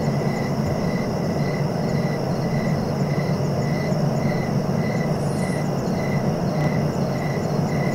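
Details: A single cricket gives a steady series of short chirps, roughly one every 0.6 seconds, about thirteen in all. Constant low broadband rumble sits beneath the calling.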